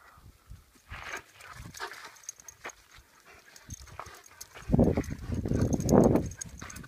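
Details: A Rhodesian Ridgeback growling during a game of tug of war, with low rough rumbles swelling into a louder, sustained growl in the last two seconds, over scuffling and thumping noises of play.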